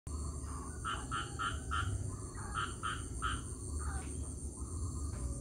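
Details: Frogs calling after rain: short, bright nasal notes in quick bursts of three or four, each burst separated by a brief pause, over a steady low rumble and a constant high hiss.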